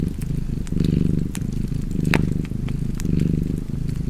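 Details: Cat purring by a crackling fireplace: a low, steady rumble that swells and eases about once a second with each breath, while sharp wood-fire pops and snaps break in over it.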